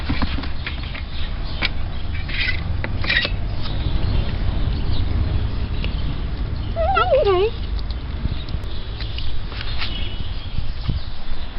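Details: Rescued cat being fed, November 2013: one short, wavering meow rises and falls midway, set against steady low rumbling background noise, scattered clatter and a woman talking softly to the cats.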